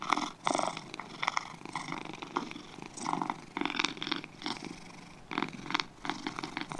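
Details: Pair of domestic cats purring, the grainy vibrating purr rising and falling in rhythmic surges at roughly half-second to one-second intervals, dense and close, in a quiet setting.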